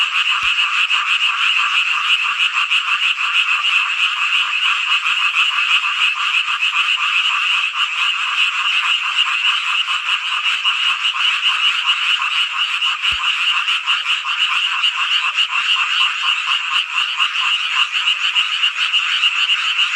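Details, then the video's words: Summer-night frog chorus from the Hongcheon countryside in Gangwon-do, Korea: a thick, constant mass of high, rattling croaks from numerous frogs at once, steady in loudness, broken only by two brief clicks. "한여름밤의 #개구리 합창단 노래소리"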